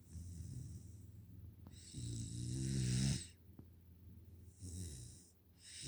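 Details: Sleeping five-month-old Pungsan puppy named Nala, kept as a pet in the United States, snoring: repeated rough, rasping snores with a whistly hiss on each breath, the loudest drawn out near the middle, separated by brief quiet pauses.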